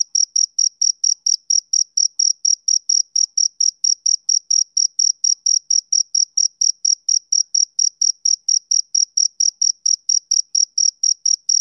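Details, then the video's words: Male cricket chirping on a summer evening: a steady run of short, high, clean pulses, about four chirps each second, evenly spaced with nothing else audible behind them. "Cricket Chirping Sound Effect"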